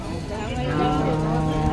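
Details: Young bulls of a local gavran breed at the Umarkhed ox market, described as good for farm work; a long, low, steady moo with rising harmonics amid market bustle and a man talking.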